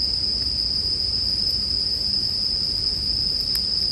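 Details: Bell cricket chorus as one bright, even, sustained tone high above a low campfire crackle, with two sharp snaps from the fire near the end.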